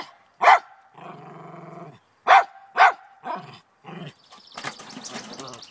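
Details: Lakeland Terrier named Trina barking in the morning at a chipmunk in a downspout; a few loud separate barks mixed with low whining growls, then scraping and rustling noises.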